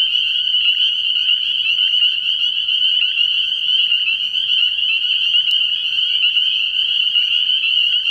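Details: Dense chorus of spring peepers at a frog pond at night early in the year, steady piercing high peeps overlapping into a constant shrill ring, with one sharp click midway.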